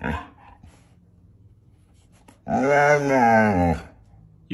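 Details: Siberian Husky named Moon at home with his dad, giving a drawn-out, wavering vocal howl of about a second and a half with rich harmonics, after a man asks whether he loves him or Mommy more; indoor room.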